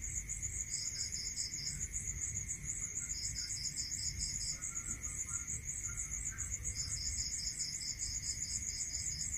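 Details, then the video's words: Night chorus of crickets in countryside, one rapid high pulsing trill continuous while another lower caller adds short beaded bursts several times, over a faint steady whine and soft low background hiss. "Listening to Cricket Sound Natural meditation music"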